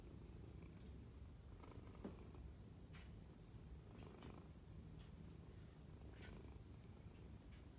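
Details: Pet kitty purring while licking a person's hand: a steady, low, continuous rumbling purr throughout, with a few faint soft clicks and licking or rustling sounds above it.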